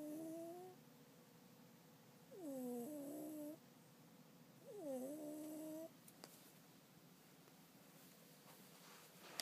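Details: Hime, a house cat, snores through a daytime nap: two droning, harmonic snores that swoop down and level off, about three seconds apart, with a breathy rasp above, followed by quieter breathing and a faint click.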